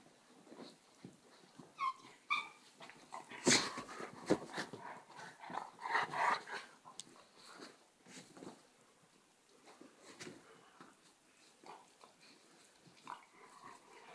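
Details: Border collie attack on a Czechoslovakian wolfdog inside a room; brief high whines and yips mix with harsh snapping growls and panting, loudest around the middle, then softer scuffling.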